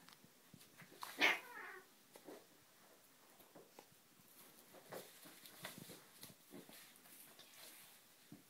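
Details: Pet cats Pierre and Marie indoors around a homemade cat tree; a single loud, bright meow with a falling tail near the start, followed by quiet scratching and light tapping sounds.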